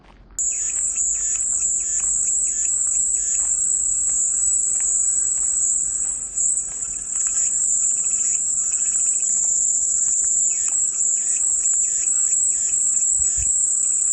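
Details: Cicada song starts abruptly and continues as a dense, high, hissing drone, pulsing slightly in intensity, with a short dip partway through; faint lower chirps mixed in.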